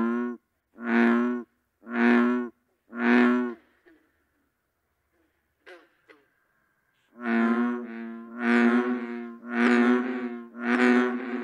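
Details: Bullfrog serenade: deep, resonant, droning croaks, each about half a second long, in two bouts. Three come about a second apart, then a pause with faint clicks, then a longer run of four or five.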